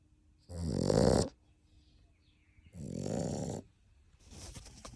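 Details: Single sleeping puppy, 7½ weeks old, napping among its resting litter and giving surprisingly big snores: two long, harsh, rasping breaths about two seconds apart, then a softer third snore beginning.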